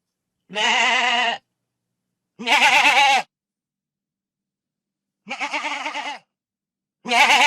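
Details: Goat bleating in a rural pasture setting: four loud, wavering, tremulous bleats about two seconds apart, each under a second long, with silence between and no other sounds.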